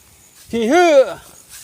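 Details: A goat among a herded flock feeding on grass in a provincial field lets out a drawn-out bleat that climbs, holds, then falls away, with quiet rural surroundings.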